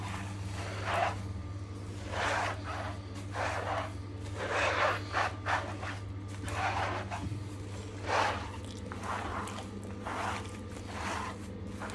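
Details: A steady low motor hum runs throughout, overlaid by repeated broadband brushing and scraping strokes about every second, with no animal voice.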